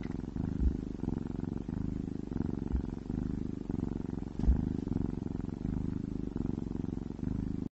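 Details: Cat eating wet food gives a continuous low, throbbing purr, rhythmic rumbles repeating roughly every half second, with a few soft clicks and no voices.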